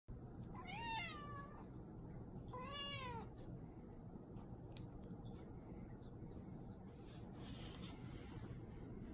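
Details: Persian cat begging for a treat indoors: two drawn-out meows, each rising then falling, about two seconds apart near the start, followed by quiet room noise with faint soft clicks.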